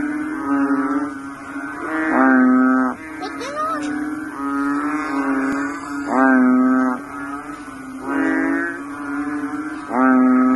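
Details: A bullfrog in water gives deep, buzzy, droning calls, each about a second long, repeated every two seconds.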